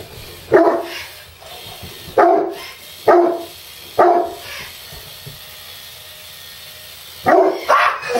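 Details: Two-year-old Harlequin Great Dane indoors, barking at an electric screwdriver used to assemble a desk. Six loud, deep barks at irregular intervals, spaced one to three seconds apart, with a long pause before a final close pair, over steady background hum.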